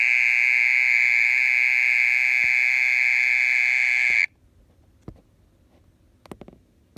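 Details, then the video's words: Mole cricket singing at night: a loud continuous buzzing trill runs for about four seconds, then stops abruptly, leaving near silence broken by a few faint clicks and taps. "オケラの鳴き声 30分以上鳴いてる"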